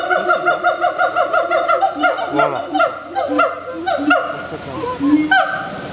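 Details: Gibbons at Singapore Zoo give a loud, rapid run of hooting, honking notes that swoop up and down in pitch.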